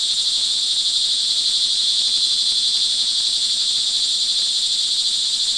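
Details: In Montalban, Rizal, Philippines, on the rainy early evening of June 24, 2011, crickets produce a continuous high, ringing trill chorus, steady and dense, with slight pulsing in loudness and a quiet low background.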